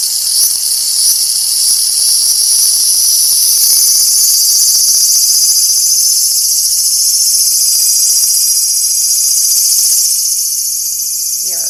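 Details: Periodical cicadas during the 2024 co-emergence of broods XIX and XIII, males calling to attract females: a continuous, loud, high shrill buzz with a fast pulsing texture, steady throughout before easing slightly at the end.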